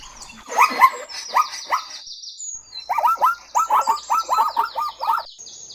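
Zebra barking in a quick run of about ten harsh, upward-kinked yelps, preceded by a few spaced barks; thin high chirps carry on in the background.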